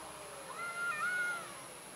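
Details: Timid orange domestic cat giving a single faint, drawn-out meow, fairly level in pitch with a slight dip midway, over a quiet background hiss.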